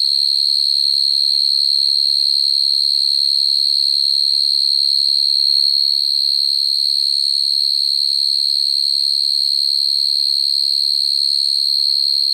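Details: Field cricket (dế mèn) calling naturally to attract females at night, a sound used for trapping crickets; a steady, high, unbroken trill holding one pitch throughout with a faint overtone above, loud and clean with no other sounds.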